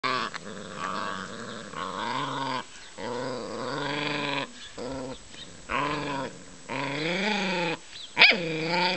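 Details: Puppies at play growl and whine in drawn-out, wavering tones that bend up and down, broken by short pauses, with a brief sharp click near the end.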